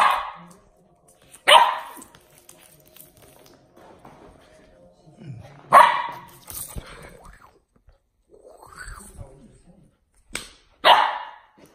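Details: A female Samoyed puppy practising her bark gives short, high-pitched yapping barks, spaced a few seconds apart.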